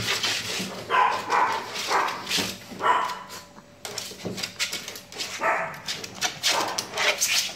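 A Shih Tzu gives sharp, high yaps and whiny barks in irregular bursts, about one each second.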